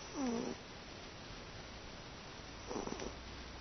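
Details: Indoor pet cat Teto, asleep and relaxed, makes a low droning snore that dips in pitch, then a softer, rougher breathy snore about two and a half seconds later in a quiet room.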